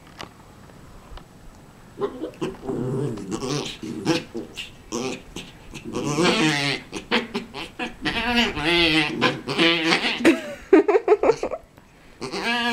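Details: Havanese dog indoors, wanting another dog's bone, keeps up a long excited run of warbling whines, grumbles and yips. Many rapid uneven bursts build in intensity, then pause near the end.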